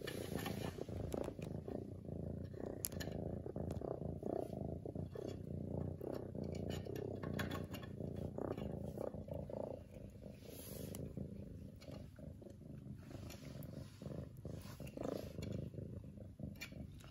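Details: Continuous low, buzzing purr from Lily, a domestic cat, rising and falling gently with her breathing, overlaid by occasional soft clicks and rustles.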